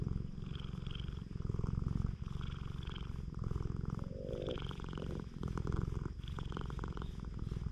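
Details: Stray cat on a Japanese cat island purring while being stroked, filmed on a GoPro HERO8; steady low rumbling purr with rapid even pulses throughout, brief rises and dips in loudness as breaths alternate, faint rustling of handling.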